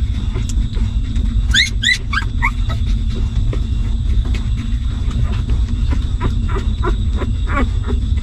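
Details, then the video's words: Newborn puppies of a stray mother dog whimper while feeding on her milk: a quick burst of high, squeaky, rising whines early on, then scattered fainter short squeaks over a steady low rumble and soft clicking. "Hungry Puppies Sucking Milk"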